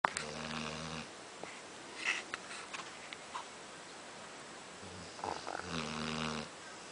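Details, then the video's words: Snoring of a sleeping nine-month-old pit bull indoors: low, buzzy harmonic rasps at the start and again near the end, with quieter breathing and small clicks between. "Pitbull Snoring"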